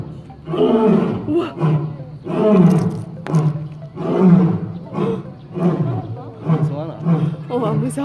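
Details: Zoo lion in a roaring bout: a string of deep, grunting roars repeated roughly every second, hoarse and throaty, rising and falling in loudness throughout.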